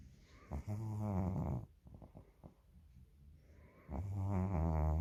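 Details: Domestic cat asleep and snoring, two deep rattling snore breaths separated by a stretch of faint ticking breath sounds, the second snore building louder toward the end.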